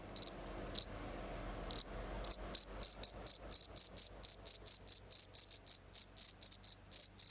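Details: Gryllus campestris, the field cricket, gives a few scattered high chirps at first, then settles into a fast, even run of bright pulsed chirps roughly three per second. Only a low, quiet background hum accompanies it.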